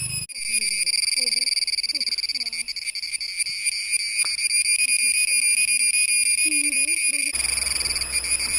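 A cicada's steady, ringing metallic drone runs unbroken beneath a man speaking.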